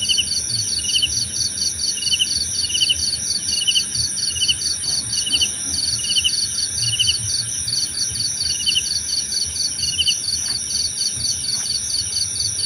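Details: Crickets chirping in a relaxing nature soundscape: a steady high-pitched pulsed trill running throughout, overlaid by a slower rhythmic chirp repeated about twice a second, with a constant very high shrill tone above.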